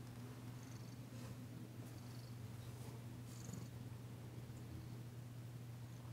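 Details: Massaged indoors, the female cat Danci purrs in a continuous deep rumble, overlaid by gentle rubbing and rustling sounds.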